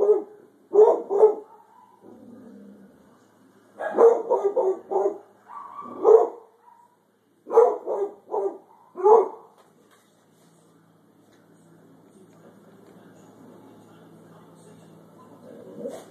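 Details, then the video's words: Holli, a pet hound, barking at a random thunderstorm, giving clusters of rapid deep barks and howl-like yelps during the first ten seconds, then falling quiet over a low steady background hum. "Hound barking at storm"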